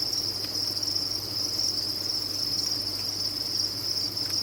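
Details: A cricket farm's insects sounding as a continuous high, piercing trill from countless callers blending into one even tone, with low background hum.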